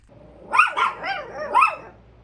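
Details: Chihuahua giving four short, high, yelping barks in about two seconds, each with a bent, wavering pitch that rises then falls, the last bark loudest; quiet background.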